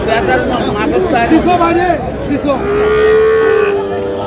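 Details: Sahiwal bull calf at the Aftabganj livestock market in Dinajpur, Bangladesh, amid trading on 13 June. Men bargaining and talking, then a steady, drawn-out, level moo lasting over a second near the end.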